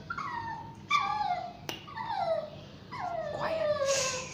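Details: Shih Tzu–Yorkshire Terrier cross crying during a bath, giving four drawn-out whines in a row, each starting high and gliding down, with a couple of sharp clicks and splashy hiss between them.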